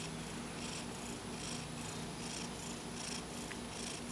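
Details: Paco, a pet cat, snoring through an afternoon nap with a paw shielding his eyes; soft breathy rasps repeat about every 0.7 seconds over a steady low hum in a quiet room.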